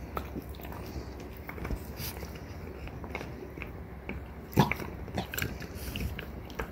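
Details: French Bulldogs Ume, a three-year-old mother, and her daughter Roku, one and a half, gnawing deer antler; scattered sharp crunches and clicks over a low steady hum, with one louder scraping burst near the middle.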